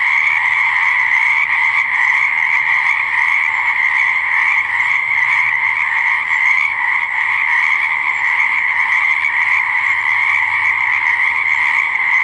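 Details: Chorus of frogs at a pond or swamp, their many croaks merging into a continuous high buzzing hum, with faint pulsing texture and no pauses across the whole stretch.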